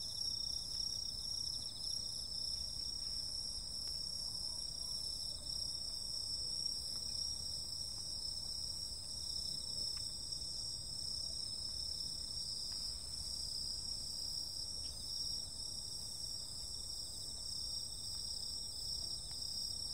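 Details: Insects singing through a summer night, a constant shimmering wall of high, buzzy trills at several pitches. Scattered faint clicks and a steady low outdoor murmur lie underneath.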